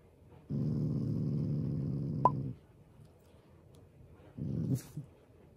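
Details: Pet Shiba Inu growling playfully, not angrily, toward its owner: a two-second deep rumbling growl, then after a pause a shorter low growl, with a brief sharp click in the room.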